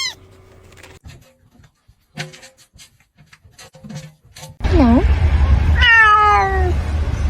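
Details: Pet cat in a home giving a short rising-falling mew followed by a longer, descending meow, over a steady low hum and scattered soft knocks and voices before it.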